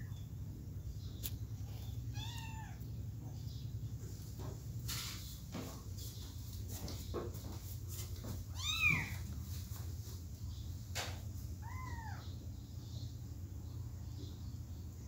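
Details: Three kittens wanting to get back to their mother: three separate harmonic meows, each rising then falling, spaced several seconds apart, with sharp clicks and knocks between them over a low steady hum.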